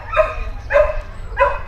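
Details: Dog barking as a training distraction, three short, clipped barks evenly spaced about 0.6 seconds apart over a constant low-pitched background hum.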